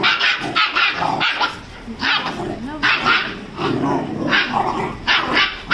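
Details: A 35-day-old Rajapalayam puppy scuffles with a Labrador, giving rapid high yaps and barks in irregular bursts, mixed with low growly sounds and a human voice in the background.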